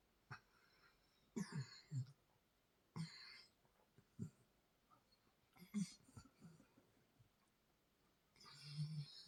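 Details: LuLu MaGoo, a 6-month-old Belgian Malinois Shepherd puppy, snoring in her sleep: raspy, grunting snorts and wheezy breaths come in uneven bursts, with quiet gaps between them and a longer, drawn-out rumbling breath near the end.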